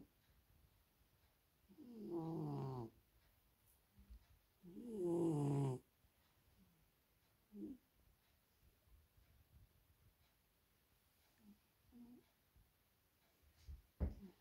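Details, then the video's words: Maine Coon named Eleanor in a very deep sleep indoors, giving loud snores: two long rasping breaths of about a second each, followed by softer short snorts and breathy sniffs in a quiet room. "maine coon loud snorring"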